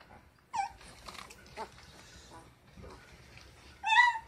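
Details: Great Dane puppies ten days old letting out two short, high-pitched squealing whimpers, one near the start and a louder one at the end, with quiet rustling between.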